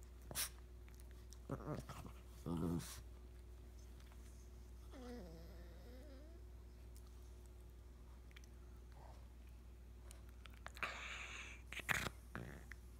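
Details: A new puppy playing indoors with Rigby, the household dog, in a small room: short noisy yips and growls near the start, a drawn-out wavering whine in the middle, then sharp bursts near the end, with faint human voices.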